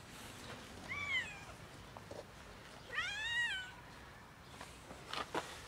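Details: A cat comes up asking for a favour, giving two clear drawn-out meows, each rising then falling with bright harmonics, the second longer and more plaintive, followed by faint handling noises.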